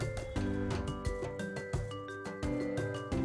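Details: Tinkling mallet-percussion music with a bouncy bass line plays throughout, with no animal sound.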